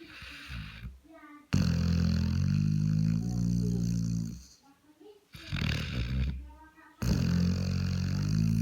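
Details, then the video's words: Sleeping Labrador with a bitten nose snoring: loud, low, rumbling drawn-out snores lasting a few seconds each, broken by short quieter pauses between breaths. "Лабрадор храпит с укушенным носом"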